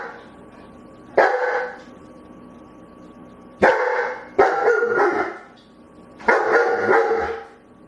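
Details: Begging dog giving four full, rough barks, each about half a second long and ringing slightly, with gaps of one to two seconds between them in an otherwise quiet room.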